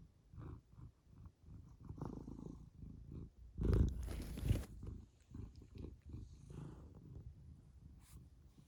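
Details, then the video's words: Domestic cat purring, a soft low rumble that comes in uneven pulses, with a brief louder rustling burst near the middle. "the cat ฅ^•ﻌ•^ฅ purrs"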